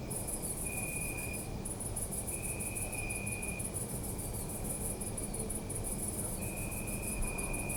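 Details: At night in a city park, crickets keep up a loud high trill, while longer drawn-out tonal chirps of one to two seconds recur three times against low city noise.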